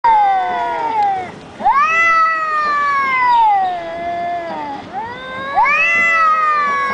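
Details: Two cats in a verbal fight trade long, drawn-out wailing yowls. The calls rise sharply, then sag slowly over one to three seconds, repeating with short breaks between drawn-out howls.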